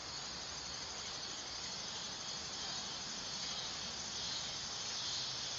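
A dog-day cicada sings a continuous high, hissing drone like a power line, holding level before swelling a little louder near the close. No other sounds stand out.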